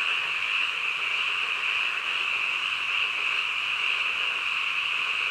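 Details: Late-night frogs in full chorus, a seamless high trilling drone of many overlapping calls, even in volume throughout the short stretch, with no other sounds.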